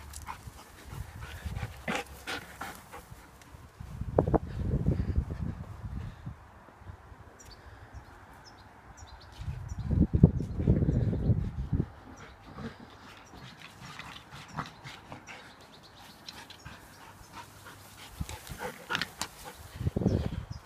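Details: Fox red Labrador Retriever named Kali playing in a garden, panting in breathy, rapid bursts around four to six seconds, ten to eleven seconds and near the end, separated by quieter stretches with light rustling and movement noise.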